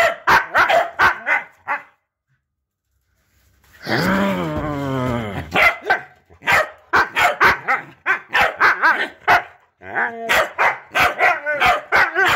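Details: Husky indoors with a group of corgis that are teaching it to bark. Rapid overlapping yappy barks, then a drawn-out wavering howl-like vocalization near the four-second mark, followed by more bursts of quick barking.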